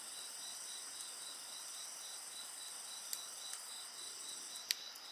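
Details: Insects singing in a steady high chorus, several continuous bands layered over one another, with sharp crackles and pops from a bonfire breaking through now and then.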